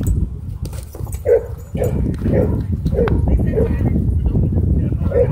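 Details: Dog park scuffle between a small white dog and a German Shepherd; a string of short barks, about one every half second, sits over heavy low rumbling noise with scattered thumps.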